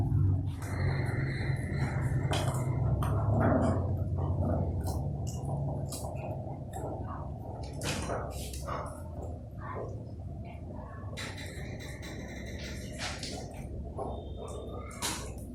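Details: Two angry puppies fighting over food, snarling at each other: low rumbling growls broken by sharp broadband bursts. The noise is loudest early and eases off, with a steady low hum in the background.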